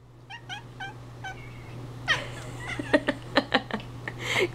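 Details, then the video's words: Male pet cat indoors chattering after the owner sneezed; a few short chirps, then a rapid run of clicking, stuttering chatter notes, with steady electrical hum throughout. "Kona is TALKING!"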